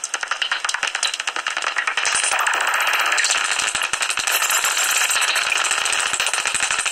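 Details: A tree-hollow roost of common noctule bats near Ibbenbüren, recorded 17 August 2019 just before sunrise, gives off fast rattling clicks mixed with shrill squeaks, thickening into a continuous buzzy clatter after two seconds.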